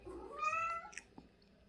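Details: Pet cat indoors giving a single short rising-and-falling meow, clear and tonal, followed by a couple of faint clicks.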